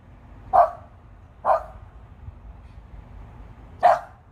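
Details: Female pet dog barking at birds perched high up in trees: three sharp, mid-pitched single barks spaced about a second or more apart, with quiet outdoor background between them.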